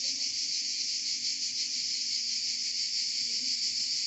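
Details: Chorus of cicadas in Provence, a continuous high sizzling drone with a fast, slightly uneven throb running through it, unbroken from start to finish.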